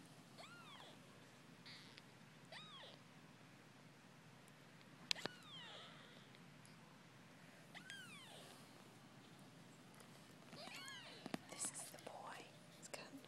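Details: Persian kittens ten days old, babies of Drens and Lucy, eyes beginning to open; a series of thin arched mews scattered through, clustered at the start, around eight seconds and eleven seconds, with handling clicks and quiet room noise.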